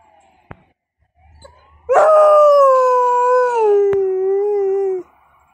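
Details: Female Alaskan Malamute responding to an ambulance with one sustained howl of about three seconds, starting strong and slowly sliding lower in pitch, preceded by a couple of sharp clicks and faint rumbling.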